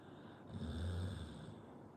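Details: A single snore from a sleeping Pit Bull, a deep buzzing rumble that rises, peaks and fades within about a second, set against a soft constant background hiss.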